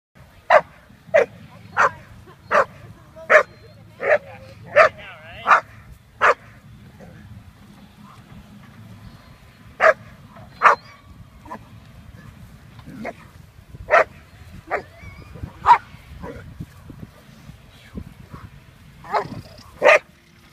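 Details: German Shepherd puppy named Quita von Nummer Eins, about 6.5 months old, during bitework foundation training; loud sharp barks in a fast burst of about ten, a pause, then further scattered barks, with faint voices and low background rumble.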